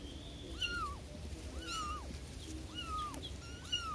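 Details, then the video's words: Several high, arching mews from newborn kittens crying for their mother, coming roughly once a second with overlapping voices, each call rising briefly then falling, against faint low-frequency room noise. "SUARA ANAK ANAK KUCING BARU LAHIR MEMANGIL INDUKNYA"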